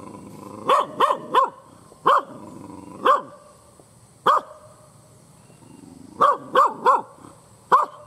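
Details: Fierce, angry village dog barking loudly, sharp bright barks in single shots and quick bursts of two or three, spaced by short pauses, over a steady low hum and a faint high whine.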